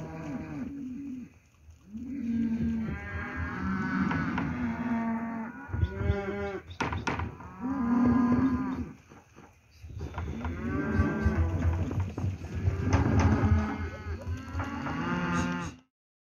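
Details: Herd of steers from lot 17, Lago Escondido, bellowing almost continuously: long, resonant, harmonic moos from several animals that overlap, with brief pauses between bursts, ending abruptly.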